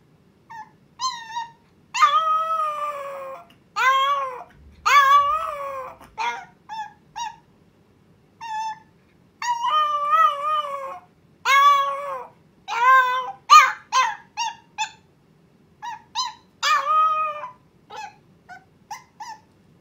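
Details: Miruku, a Chihuahua puppy, gives her first howl, longing to see her owner right away while left at home: drawn-out arching howls with rich harmonics, rising then falling, in bursts separated by short silences.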